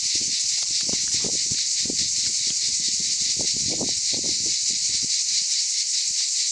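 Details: Cicadas in the Aude, France, during summer, producing a constant high shrill buzz that never pauses, over scattered low rustling and clicks.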